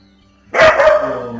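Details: In the morning a dog breaks a quiet moment with a loud, drawn-out bark that trails off over a second.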